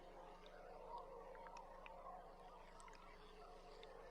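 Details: Beluga heard underwater from a live boat camera on July 16: scattered short, sharp clicks and high chirps with a brief faint whistle near the start, over a steady low rumble of water and boat noise.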